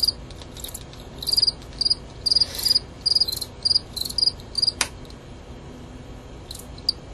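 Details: Fall field cricket, Gryllus pennsylvanicus, two males fighting: bright high chirps of three or four rapid pulses, repeated about every half second in a run, then a sharp click and quieter pause.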